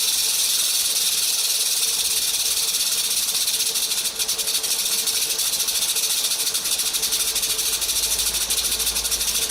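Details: Venomous rattlesnake shaking its rattle as a warning when threatened, a continuous high, dry buzzing hiss that holds steady for nearly ten seconds with a brief dip midway.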